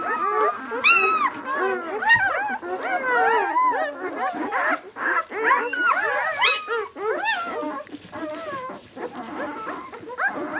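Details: Six-day-old White German Shepherd puppies of the "of White Night" B litter squeal and whimper together, a dense overlapping jumble of high arched cries, with faint voices in the background.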